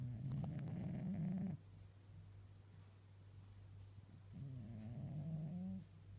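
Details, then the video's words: Pet cat asleep on a lap, snoring: two low rumbling snore breaths about three seconds apart, each roughly one and a half seconds long, with a steady low background hum between them. "Cute sleeping and snoring Tiger the cat"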